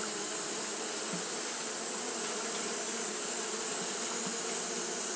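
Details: Fanning Japanese honey bees on a hot day produce a dense, steady hum of low layered tones. A persistent high hiss sits on top, with faint brief ticks scattered through.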